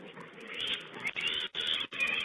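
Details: Wild boar piglets on a wild pig webcam, 16 April 2010, giving shrill, harsh squealing bursts broken by short gaps, with a muffled, band-limited sound.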